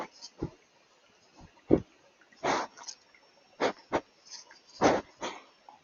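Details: At night on a remote canyon trail in the Wasatch Mountains above Willard, Utah, a mountain lion approaches a trail camera, sniffing and breathing heavily into it in short, breathy, irregular huffs as it picks up a scent.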